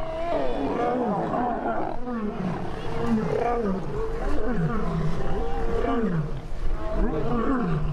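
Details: Lions fighting at night, with a male defending a young lioness, snarl and roar in deep, falling growls as aggression during the fight, while a person talks faintly.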